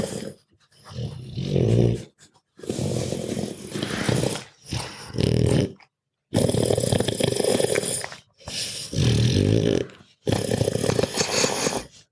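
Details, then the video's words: Dog asleep and snoring like a person, with grunting and snorting: rough, rumbling breaths lasting one to two seconds each, separated by short quiet pauses, about six drawn-out snores in all. "Dog Snoring Extreme"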